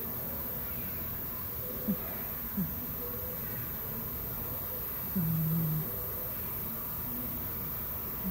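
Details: A dozing cat snores. Small low snuffles are followed by one longer, low, droning snore breath, then another short snuffle at the end, in a quiet indoor setting.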